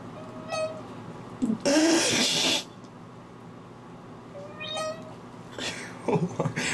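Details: A domestic cat being given a bath, which he dislikes, meows from underwater: brief, bright, nasal, rising cries between bursts of loud splashing water, with a person talking near the end.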